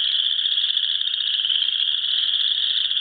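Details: Frogs calling on a spring evening in South Dakota beside a pond with geese: a dense, continuous high trilling chorus, steady and unbroken throughout.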